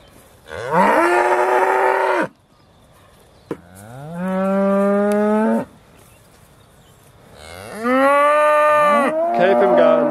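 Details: Beaulands Aussie Red dairy cows, December 2012, waiting to be milked: three drawn-out moos of one to two seconds with rich harmonics, the middle one rising in pitch, the last overlapped by a second cow.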